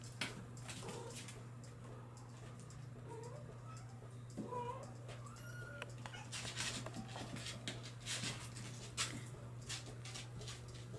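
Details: Bengal kittens from July 2022 litters squeak in short, rising, whimpering mews clustered mid-way, surrounded by rustling, clattering handling noise and a low steady hum.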